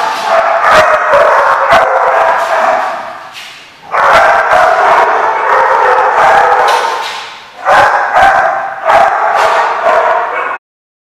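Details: Several dogs bark at once at The Barking Lot on 27 April 2015, a packed chorus of rapid, irregular barks and yips in three loud bursts separated by brief lulls.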